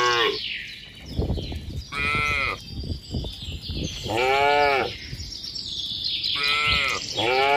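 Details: Cattle in a tame herd walking a mining road toward a green village: three higher-pitched, arching moos about two seconds apart, mixed with low thudding sounds and steady high background hiss.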